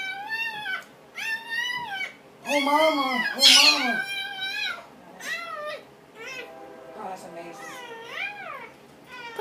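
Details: Dobermann mother in labor while giving birth to puppies, whining repeatedly in arching, wavering cries, some long and drawn-out, others short and quick, with encouraging human speech mixed in.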